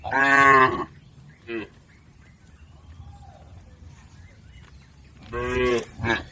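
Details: Domestic cattle in a herd driven across a river to the pen: a loud moo at the start, a brief grunt, a long quiet stretch, then another moo followed by a short clipped call.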